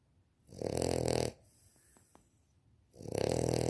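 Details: Asleep and snoring again, a Victorian Bulldog puppy gives two harsh, droning snores about two seconds apart, with a few faint clicks in the quiet gap between them.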